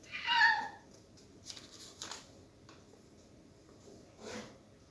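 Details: Cat with a sweet voice gives one short harmonic meow near the start, then quiet indoor rustles and taps with another faint vocal sound near the end.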